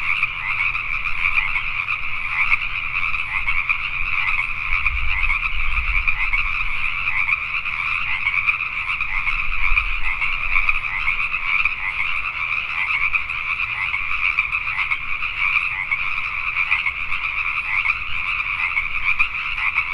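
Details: Many Pacific tree frogs croaking after dark in Richmond, British Columbia, Canada; a thick, constant chorus of raspy pulsed calls, with brief low thumps around the fifth and tenth seconds.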